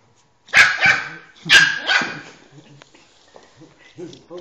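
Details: Shiba Inu named Emi meeting another dog, Zinzi, for the first time indoors; two loud, sharp barks close together, then a third pair a second later, trailing into soft whines and a few quiet vocal sounds.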